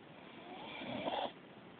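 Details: Snoring beagle dozing at home: a slow, grating inhaled snore building over about three-quarters of a second and ending abruptly, with a hushed background.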